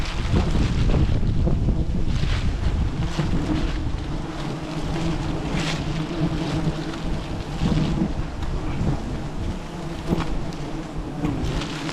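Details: Heavy wind buffeting the microphone, with broad roaring noise and occasional gusty bursts; no animal sound.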